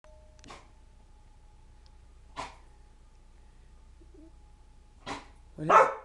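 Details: Siberian Husky indoors at home, afraid of balloons, giving four short, sharp barks spaced a second or two apart, the last one louder and more drawn out, over a faint steady hum in a quiet room.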